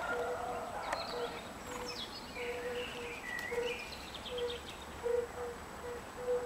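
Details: European fire-bellied toads (Bombina bombina) in Lilli Wenedy park, Kraków, Poland, give soft, low, mellow 'oop' notes, repeated steadily about twice a second.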